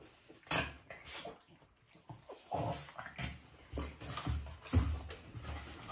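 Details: Two Boston Terriers in a love/hate relationship, fighting without a reason: low rumbling growls mixed with sharp scuffling bursts and snorts, coming in uneven clusters across the six seconds.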